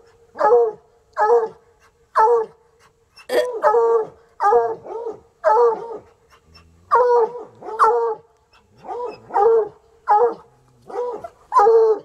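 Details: Sunny and Hazard, two untrained coonhounds at a country home, bark steadily hours into their fuss. About thirteen full, ringing barks come at roughly one-second intervals, some doubled, over a quiet background.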